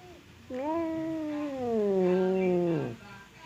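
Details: Domestic cat squaring off with another cat through a separating barrier utters a drawn-out low moaning yowl that slowly falls in pitch over about two and a half seconds, ending in a brief rasp.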